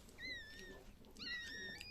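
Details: Two short, thin, level squeaks with faint overtones, separated by a brief pause, heard as a female Chihuahua finishes giving birth to seven puppies.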